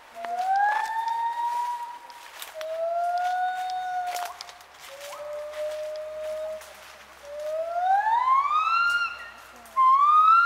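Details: Gibbons at Khao Yai National Park, Thailand, recorded 11 December 2016: long drawn-out whistled hoots, some steady, others sliding steeply upward, spaced a few seconds apart and growing louder toward the end, with faint forest ambience.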